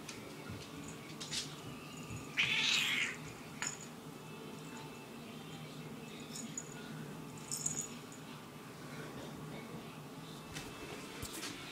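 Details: Irritable black and white pet cat in a small room letting out a single rough, breathy burst of about half a second, followed by scattered light clicks and rustling against steady low background hum.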